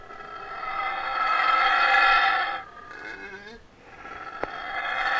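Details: King, a Yucatan black howler monkey held for rehabilitation at Wildtracks before release to the wild, howling up close during a feed: a loud, rough, harmonic-rich roar swells and breaks off, then a second roar builds again, with one sharp click.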